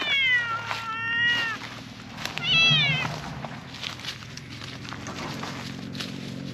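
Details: Park-dwelling silver tabby cat voicing a loud plea: two meows in quick succession, a long level one followed by a shorter wavering one, then rustling and low rumbling background noise.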